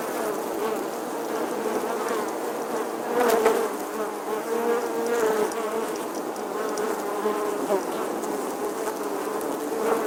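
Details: Summer bee buzzing continuously, a low drone with shifting overtones that grows louder around three seconds and again near the end, over a soft background hiss.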